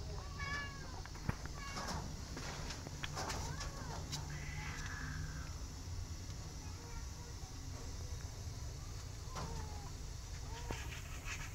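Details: Domestic cats, a mother cat who has adopted rescue kittens including one named Sugar: several short, high, arched meows, some drawn out and rising then falling, scattered across the recording over a steady low rumbling background noise.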